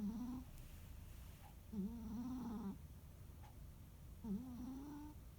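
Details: Rescued domestic cat snoring during a quiet holiday afternoon nap: three drawn-out, buzzy, slightly rising tonal snores, each under a second, at irregular intervals of about two seconds, over a low steady background hum.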